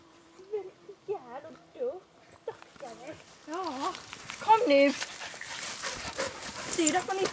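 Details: Samoyed, one of two white dogs named Becki and Bibbi out on a walk, giving a run of wavering, rising-and-falling whining yelps in quick succession, with a woman talking and rustling movement growing louder toward the end.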